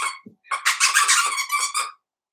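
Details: Blenheim Cavalier King Charles Spaniel puppies from a litter of five born at New Year, indoors in their puppy pen: a run of loud, shrill, harmonic yelps and squeals, closely packed for about a second and a half, then silence.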